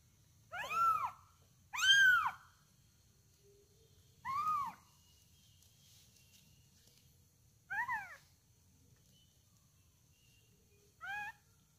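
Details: Month-old kitten at feeding time meowing in high, arched calls, two close together then three more spaced several seconds apart over a faint steady hum.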